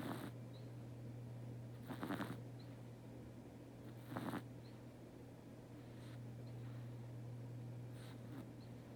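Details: Pet cat Teto asleep and snoring softly. Two clearer breathy snores are followed by fainter ones, about every two seconds, over a low steady hum indoors.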